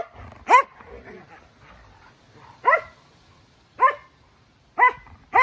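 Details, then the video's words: Norwegian Elkhound barking while wrestling with another Elkhound in play on a Sunday: five sharp, ringing barks spaced irregularly about one to one and a half seconds apart, with faint scuffling and breathing between them. "Elkhound barks"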